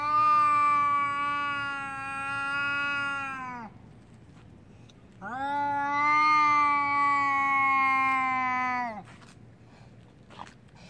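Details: An angry domestic cat, just before a fight, gives two long, drawn-out yowls, each holding steady before sagging at the end.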